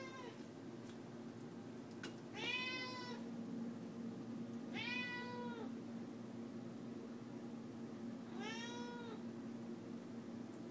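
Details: Indoor pet cat Leah pleading for cooked chicken: three clear meows arriving about every three seconds, arched in pitch, with a few soft clicks and a low hum underneath.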